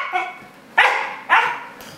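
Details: A hungry Siberian Husky puppy waiting for his delayed dinner indoors, giving two sharp loud barks about half a second apart after a softer whine.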